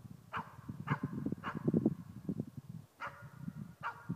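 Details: Nova, a four-month-old East Siberian Laika, giving her first bay at a moose while hunting. Five sharp barks: three in quick succession about half a second apart, a pause, then two more, over low thumping and rustling.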